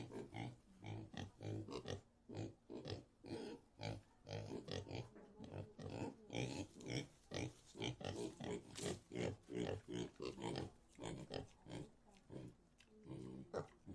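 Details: Pigs in a pigsty keep up a busy run of short, harsh grunts and snuffles, repeated more than twice a second throughout, with occasional sharper squeaks.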